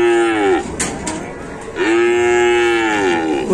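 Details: Cattle being unloaded from a truck in the rain, one animal stuck while getting down; two loud, drawn-out moos with strong harmonics, each about a second or more, the second longer, separated by a brief pause with clatter.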